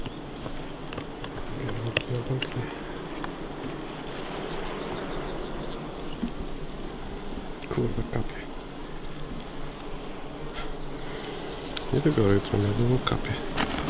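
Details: Hive of honey bees before the honey harvest, a continuous low droning buzz throughout, with brief human speech and handling noises near the start and end.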